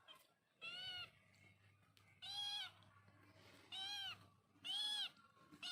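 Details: Cat or kitten calling four times, high-pitched drawn-out meows each lasting about half a second, separated by pauses of roughly a second, over faint low hum.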